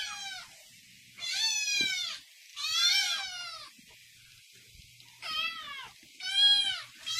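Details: Angry domestic cat giving loud, high, strained meows, five bursts in seven seconds, each bending up then down, with a soft thud between calls.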